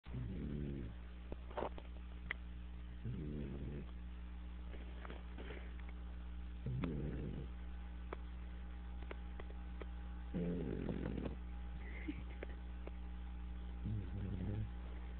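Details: English bulldog puppy named Dash, asleep with his tongue out, snoring in low rasping bursts roughly every three to four seconds over a steady low hum.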